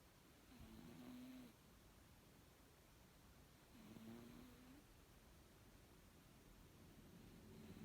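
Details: Pet cat M asleep at bedtime, snoring contentedly: two clear snores near 1 and 4 seconds, each a rough breath carrying a thin whistled note, with a fainter third starting at the end.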